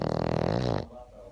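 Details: A sleeping Boston Terrier gives one low, buzzy, drawn-out snore that lasts under a second, then quiet breathing in a small room.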